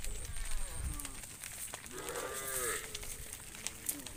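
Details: Cow roaming in the fields, calling to its friend: one harmonic, bleating moo rising then falling in the middle of the clip, over steady background hiss and scattered clicks.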